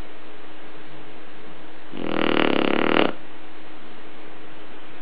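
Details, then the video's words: One drawn-out, rough snore about a second long from a sleeping Shar Pei, with quiet before and after and a low steady hum in the room. "Shar Pei ronfleur"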